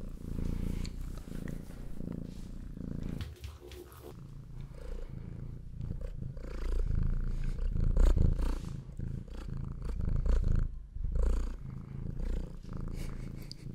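A domestic cat purring steadily, a low rumbling throb that rises and falls with each breath.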